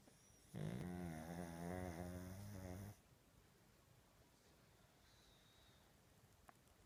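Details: An older sleeping pug snoring loudly indoors; one long, buzzy, rattling snore with a layered tone lasts about two and a half seconds, followed by near silence.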